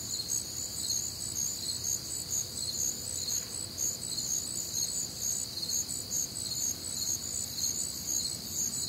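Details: Warm, muggy Midwestern summer night with crickets and other nocturnal callers, steady high chirping pulses repeating around twice each second in a thick, unbroken chorus.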